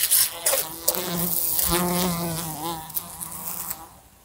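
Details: A fly buzzing in a room beside a lamp, bumping into it: a droning hum with wavering stacked tones that rise and fall as it flies, broken by sharp ticks and taps of impacts.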